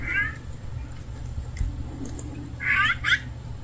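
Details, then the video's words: Hungry stray cat giving two high, thin meows, one short at the start and a longer wavering pair near the end, over low steady background hum. "굶주린 길고양이"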